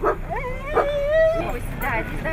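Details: Siberian Husky in Nizhny Novgorod on 3 February 2017, the day competitions were held there: a drawn-out whine that rises, then holds level about a second, rich in overtones, framed by short yelping notes, with people talking nearby.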